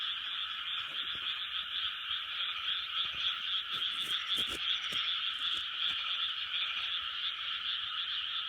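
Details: Frogs calling together in a big chorus in 2020, their many overlapping high croaks merging into a continuous rasping buzz, with a few faint soft taps and clicks scattered underneath.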